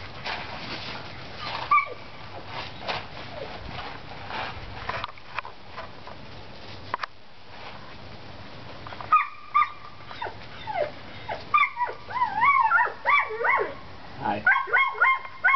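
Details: Seven-week-old Collie pups at outdoor play time, first a stretch of rustling and low noise, then a burst of high, harmonic yips and whines with rising and falling squeals, several overlapping in the final seconds.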